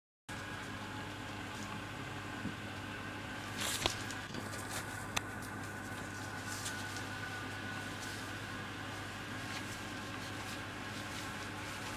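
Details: Steady fan-like indoor hum runs throughout, broken by a few soft knocks and taps.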